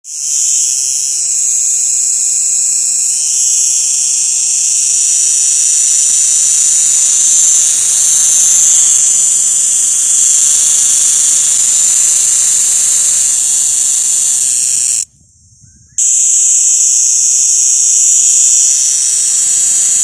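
An insect gives a loud, high, continuous buzzing drone that breaks off briefly before resuming.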